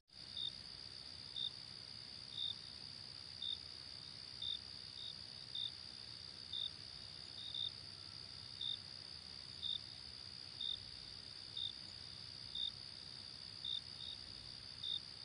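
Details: Cricket chirping in short, bright, high-pitched pulses at an even pace of about one per second, set against a continuous shrill droning hum.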